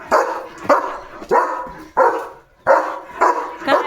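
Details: German Shepherd guarding the home gate in the morning, barking hard at another dog going by; six loud, coarse barks at uneven intervals of about half a second, one short pause midway, a woman speaking softly.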